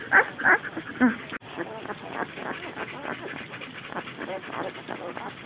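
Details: Ten-day-old white German Shepherd, Samoyed and Border Collie mix puppies give a few high, squeaky whines in the first second, followed by people talking and low background murmur.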